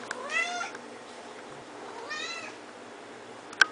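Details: Long-haired Siamese/Snowshoe mix cat, a neutered male described as social and a talker, giving two drawn-out, bending meows about two seconds apart in a quiet room, then a sharp click at the end.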